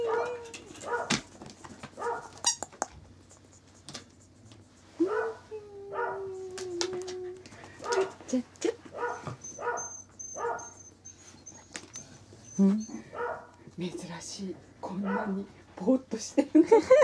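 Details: On 26 February, a young male Corgi born 19 January 2012 makes repeated short, soft yips and barks in uneven bursts, with a drawn-out whimper midway; a person encourages it with "come on" and handling noises are heard.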